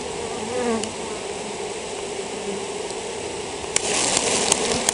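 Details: Droning of a honey bee colony with European foulbrood, with short whining fly-bys. A harsh, hissing surge takes over in the final second or so.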